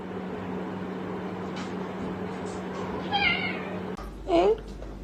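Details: Pet cat indoors, giving two short harmonic meows about a second apart, the second one rising and then falling, over a steady low electrical hum and faint room noise.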